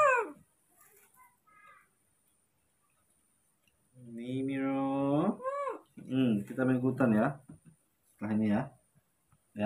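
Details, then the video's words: Two baby monkeys, Moni and Mino, eager for their morning milk indoors. After soft Indonesian talk, a long rising and falling wail leads into a run of quick wavering cries, then one more short cry. "it's time to drink morning milk, baby monkeys Moni and Mino are very excited"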